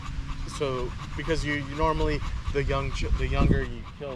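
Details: Male Staffordshire Bull Terrier chatting with other male dogs in a park one evening: a run of short, bending whiny moans, some held, over low traffic-like rumble.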